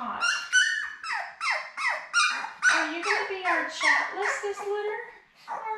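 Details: Labrador Retriever puppies born May 24, 2021, seven in the litter, with mother Belle, filmed by puppy cam on June 4: a run of about ten sharp, downward-sliding squeals, roughly two per second, then a brief pause.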